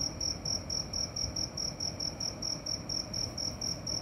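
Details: Cricket at night, its thin high trill broken into regular pulses about four per second, sounding steadily over a muted low-frequency background.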